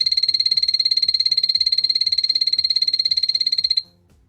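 A frog gives a rapid, high-pitched pulsing trill that holds steady for several seconds, then stops abruptly.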